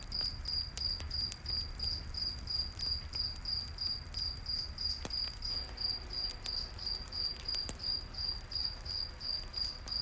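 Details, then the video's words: Steady high cricket chirps, about three each second, fill a nighttime forest scene by a campfire, with frequent crackling pops from the flames and a deep background rumble. "Campfire In The Night Forest w/ Cricket Sounds"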